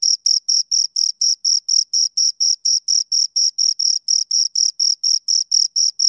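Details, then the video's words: Shrill, sharply separated cricket chirps from two crickets close by, repeated in a regular beat of roughly four per second against silence. "Two Crickets Chirp Sounds"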